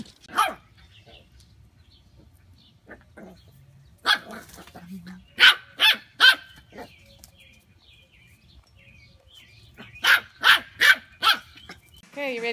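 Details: Pet corgi barking indoors: sharp single barks scattered through the recording, including a run of four quick barks near the end, with people talking in between.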